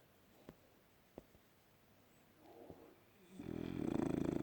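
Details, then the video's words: A sleeping French Bulldog snores with a loud, rasping, buzzy rattle after a few quiet seconds. "Winston the French bulldog sleeping and snoring"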